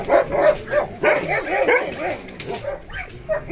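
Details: Adult German Shepherd giving a quick series of short, yelping barks and whimpers, about three per second, high and nasal, rising and falling in pitch.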